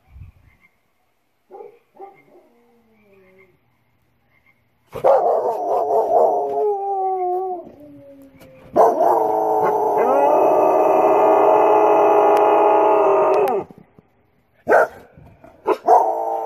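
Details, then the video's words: Several Australian Shepherds howl in answer to coyotes: a few faint yips, then loud wavering howls and a long, dense chorus of overlapping sustained howls lasting several seconds, followed by brief louder outbursts. "My Aussies answering the Coyotes"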